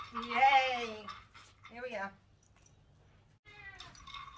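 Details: Dandy, a rescue cat with a head tilt and anxiety who spent seven years in a breeder's cage, in his catio enclosure during agility practice: one long, drawn, falling meow, then a shorter meow, a pause, and a human voice.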